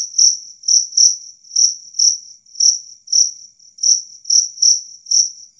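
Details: Two-spotted cricket chirping loud and clear, a sound claimed to scare away rats; high-pitched chirps come in an uneven rhythm, some paired, about two per second, over otherwise silent background.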